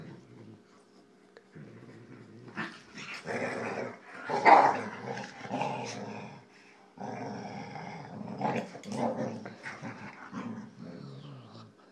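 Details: Boxer playing with two Jack Russell Terriers, indoors or at home: rough play growling and snarling in bursts with short barks, broken by pauses, while people urge the dogs on.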